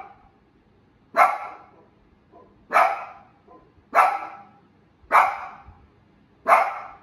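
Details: A female Shiba Inu gives sharp, single barks, spaced roughly every one to one and a half seconds.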